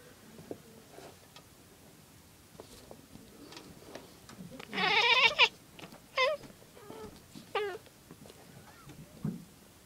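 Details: A female cat makes her chattering sound on seeing a bird: a burst of quavering, stuttered chatter, followed by a few shorter wavering calls.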